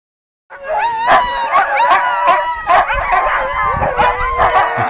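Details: Sled dogs at Gunflint Lodge in 2012, going wild with excitement before pulling a sled through the woods: a dense chorus of overlapping barks, yelps and wavering howls, loud and continuous, with many dogs calling at once.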